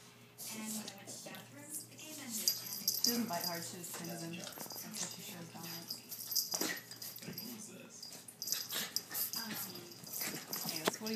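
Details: Chubbles and Cuteness, two pet dogs, wrestle roughly as Cuteness gets her revenge. Quick wheezy snorts, whiny growls and huffing breaths tumble over one another almost continuously, with a person speaking alongside.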